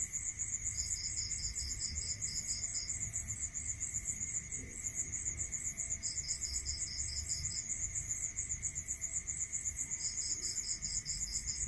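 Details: Rural night with crickets: a very high, fast pulsing trill carries on without pause, and a slightly lower chirping series comes in three separate bursts, over a faint steady hum and low rumble.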